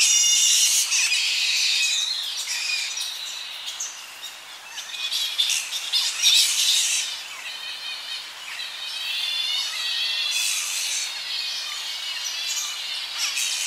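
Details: Evening colony of Tonga flying foxes, young bats squabbling close by: bursts of high shrill chattering squeals rising and fading in waves, with slight wind stirring the tree.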